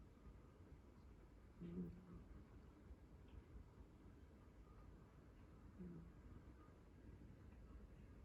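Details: Sleeping house cat Chii, once a rescued stray, dozing on a lap indoors; two faint low snores about four seconds apart, short buzzy breaths over a steady room hiss.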